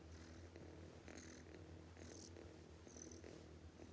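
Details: Sleeping cat snoring noisily, short hissing wheezes at uneven one-second intervals over a deep droning rumble, before a spoken line asking it to stop sleeping.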